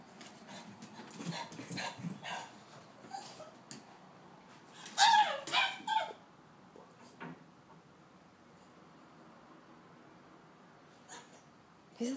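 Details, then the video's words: A Boston Terrier gives shrill, rising screams and yips, loud enough to hear from down the hall, greeting his owner at the door after a weekend away, with people talking nearby. "Screaming Boston terrier - Winston"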